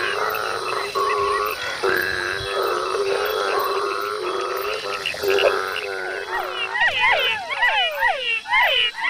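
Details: A dense night chorus of hundreds of frogs and toads in Ecuador's tropical forest, males calling to attract females at mating time, with pulsed croaks and rapid rising-falling chirps.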